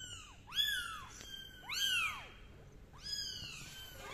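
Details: Kittens meowing while crawling on a carpet indoors: three bursts of shrill, high mews, each a quick rise and fall, spaced about a second apart.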